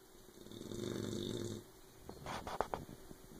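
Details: Oberon, a sleeping puppy whose loud snoring keeps Tyson awake, lets out one long, rough, low drawn-out snore lasting about a second, followed by a few soft clicks and snuffles indoors.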